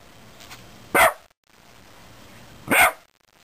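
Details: A Shiba Inu at home barks at a beetle it won't approach, giving two sharp, mid-pitched barks a little under two seconds apart with quiet room hiss between, crows and a lesser cuckoo calling in the distance; Shiba Inu.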